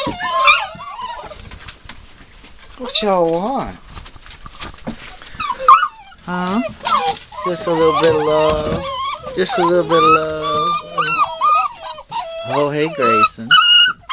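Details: Puppies dated 02/08/12, linked to the name Rosebud, giving high, wavering whines and short yelps that rise and fall in bursts. The calls run almost continuously through the second half, with human voices heard at times.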